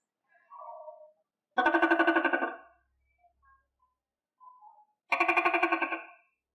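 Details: Tokay gecko kept and fed crickets, producing dense pulsed rattling bursts about a second long, two main bursts separated by a few seconds, with softer short notes in between.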